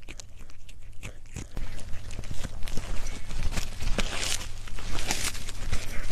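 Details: Cat mukbang in ASMR style: loud, busy biting and crunching grows denser after the first second and a half, with crackly chewing bursts layered over a low hum.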